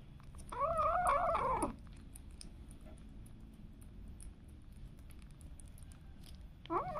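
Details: Pet cat or kitten meowing indoors: one long wavering, drawn-out meow of about a second, then quiet room hum with light ticks, and the start of another meow at the very end.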